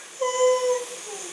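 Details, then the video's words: Siberian husky answering its owner indoors with a short, clear, tonal whine held level then dropping slightly at the end, between spoken questions. "Conversation with a Talking Siberian Husky"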